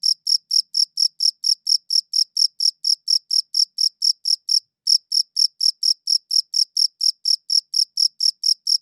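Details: A cricket chirps in a fast regular train of sharp, high-pitched pulses, pausing once briefly around four and a half seconds before resuming; clean recording without other noise.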